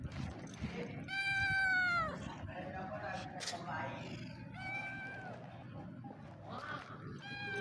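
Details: Hungry street cat meowing: a loud drawn-out falling meow near the start, then two shorter meows later, with faint traffic rumble and some talking in the background.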